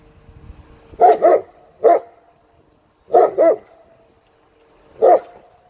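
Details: German Shepherd barking on command during a 2018 training session, commands in two languages: a double bark, a single bark, another double bark and a final single bark across about four seconds, loud and mid-pitched.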